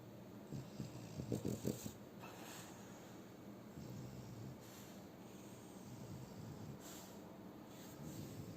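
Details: French Bulldog Shturm asleep and snoring again: a short cluster of rough, low snorting bursts near the start, followed by quieter, steady breathing with faint soft puffs.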